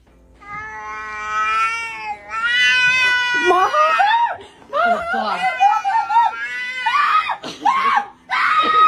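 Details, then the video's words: Screaming kitties let out long, drawn-out yowls that waver and bend in pitch, some rising into strained wails. People exclaim and laugh over them, and music plays in the background. "Screaming kitties"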